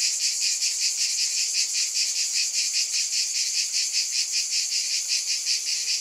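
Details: Steady cicada drone, high and rasping, beating in regular pulses about two and a half times a second over a continuous hiss.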